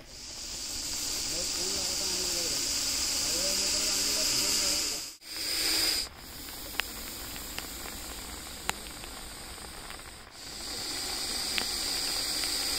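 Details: Russell's viper, a venomous snake, hissing to defend itself, its noise compared to a pressure cooker whistle: a long, loud, breathy hiss, broken by short pauses near five and ten seconds, with men's voices talking over the first seconds.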